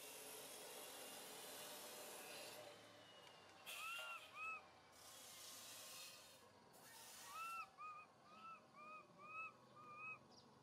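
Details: In a park, little monkey MoMo tries calling mother Malika: after a stretch of hissy background noise, a run of short, arched, whistled coos, first a pair, then about seven in quick succession.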